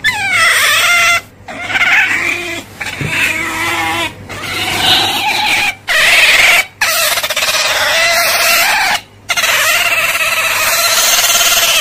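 An otter gives long, high, whining squeals that waver in pitch, with brief breaks between them.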